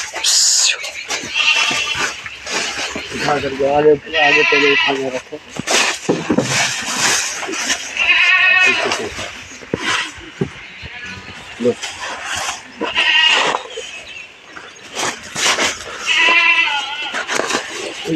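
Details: On a goat farm selling castrated 14–15-month-old bucks for Bakri Eid, goats give several quavering bleats, spaced every few seconds, amid loud overlapping human speech and handling noise.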